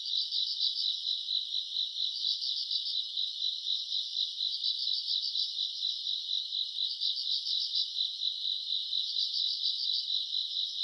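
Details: Summer-night grass insects, recorded in August: a steady high insect drone with louder pulsed trills surging out roughly every two seconds, layered over the constant shrilling chorus.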